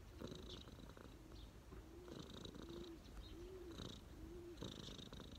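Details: Relaxed street cat lying on a person's knees, purring continuously: a deep, grainy drone rising and falling with each breath, roughly every second and a half.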